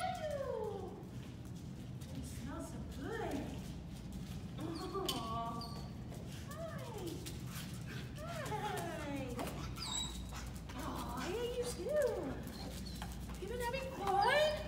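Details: Jack Russell and Heeler mix dog reunited with its owners: repeated high, rising and falling whines in quick series, continuing through the clip, with excited people's voices mixed in.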